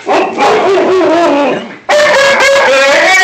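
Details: Talking Alaskan Malamute giving loud, drawn-out, harmonic howling vocalisations that slide gently down then up, in two long phrases split by a brief drop, recorded close on a phone.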